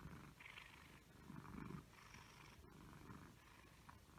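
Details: Egyptian Mau cat indoors, giving a soft, low, rumbling purr with pulsing swells of throaty buzz over about four seconds, a brief click midway, with steady faint background hiss.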